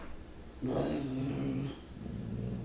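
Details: Liam, a Giant Schnauzer pup, confronting an unfamiliar bear indoors; a single low, steady growl held about a second, with faint room noise.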